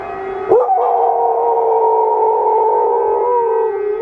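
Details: Household dog joining a wailing siren, as it always does when the siren sounds. A sharp onset rises into a sustained, slightly quavering howl of layered tones for about three seconds, then dips lower near the end.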